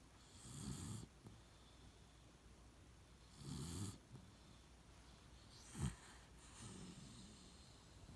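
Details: Beagle named Shiloh asleep in its usual place, snoring in slow low rumbles about three seconds apart, one short sharp snort near the end followed by a softer snore.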